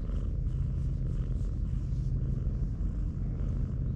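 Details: A Siamese cat lying belly-up on a sandy beach purrs in a steady, low, rumbling drone.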